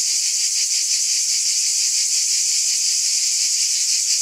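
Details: Many cicadas calling together on a summer night, a continuous high, sizzling buzz with a gentle regular pulse and steady loudness, nothing else audible.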